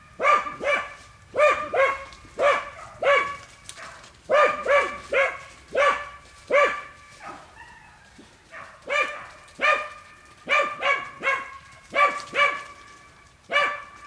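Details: Dogs working wild boar in a boar pen, sustained barking in quick pairs and triplets, a brief lull near the middle, then the regular volleys resume.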